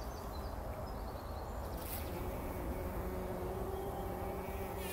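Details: Several bumblebees rolling in poppy flowers early in the morning before sunrise, taking a pollen bath. A low, steady droning hum with faint tonal overtones swells in partway through, over a dense rustling background with a few faint high chirps.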